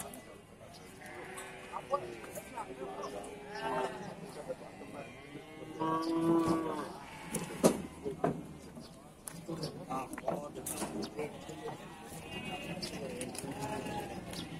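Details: Busy cattle market at Bumiayu, Indonesia, with several cattle mooing in overlapping, rising-and-falling calls among loud chatter, clatter and other livestock noises, one stronger drawn-out moo standing out midway.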